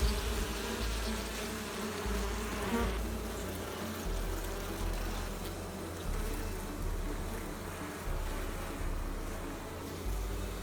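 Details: Honey bee buzzing, the sound made by its beating wings. A dense, continuous low drone with a rough, noisy texture, rising and falling slightly in loudness throughout.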